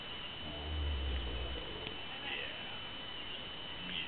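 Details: Drooling, slobbering camel at Dew animal farm in Maine making a funny noise: a deep, low rumbling gurgle lasting about a second early on, then quieter background with faint human voices.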